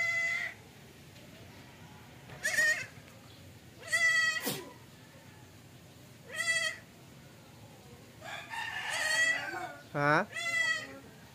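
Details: Goat that refuses to suckle, giving a series of loud, harsh, tremulous bleats every two to three seconds, about six in all, with a brief human voice and handling noises between calls.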